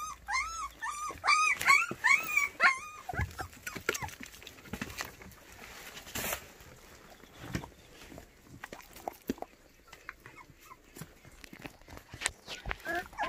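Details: White puppies for adoption in Cheongdo, Korea, giving a run of high, arching whimpers in the first three seconds, several in quick succession, then fainter scattered yips amid handling noises and rustling.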